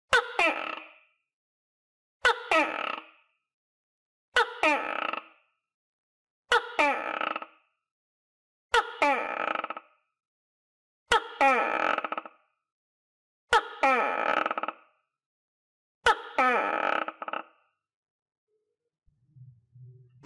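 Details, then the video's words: Pet tokay gecko, housed with others and eating crickets, repeats eight gruff two-syllable croaks at steady intervals of roughly two seconds; a faint low rustle appears at the very end. "Sound Of Tokay Gecko"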